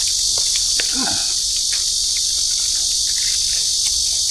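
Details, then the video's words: Loud insect calling beside a group eating outdoors near a hidden lake: a dense, unbroken high-pitched shrill fills the background, with faint voices, soft taps and brief eating noises. "Ang pasensya na po sa huni ng kulisap."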